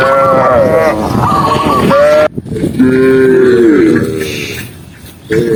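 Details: Tame cows running down a green hill while being herded in the countryside; several drawn-out, harmonic moos overlap, one falling in pitch, then a brief gap before a lower, longer moo that bends downward.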